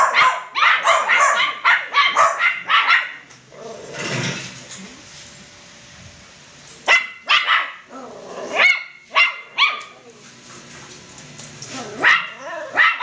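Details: Poodle crossbreed puppies, kept as pets, yapping in quick bursts of high, harmonic yips and barks. A dense run opens the recording, then a quieter gap, then scattered sharp yelps return near the end.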